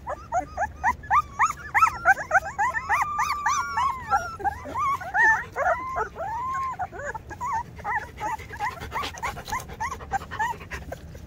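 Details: Several two-week-old Rottweiler puppies squealing together, overlapping rising-and-falling whines and squeaks in a busy, steady chorus, some cries drawn out, others clipped and rapid.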